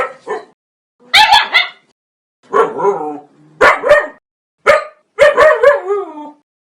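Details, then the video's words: Dog barking: loud, harsh barks, some single and some in quick doubles or triples, repeated about every second, with a brief low growl-like tail after the last. "Hundebellen, Bellender hund sound, Hunde bellen"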